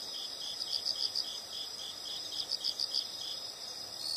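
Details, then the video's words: Insects heard in nature: soft high chirps in two quick runs of about five pulses each over a faint steady shrill hum and low background hiss. "the sound of insects"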